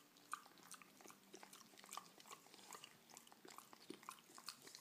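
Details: A French Bulldog eating cake chews loudly and wetly in a quiet indoor room, with sharp smacks and clicks at an uneven pace and short pauses before the munching starts again.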